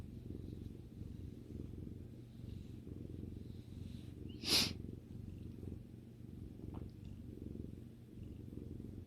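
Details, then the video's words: House cat relaxing beside its owner gives a soft, low, even purr throughout; a sharp brief click or snort-like burst cuts in near the middle, then the gentle rumbling continues. "さくらさんのゴロゴロ音を聴きながらまったりする動画 Video that relaxes while listening to the cat's rumbling sound"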